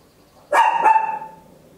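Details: Tiny Papillon dog at home giving a loud double bark, the two quick high yaps running into a ringing, fading tail; stereo recording on an Olympus LS-11.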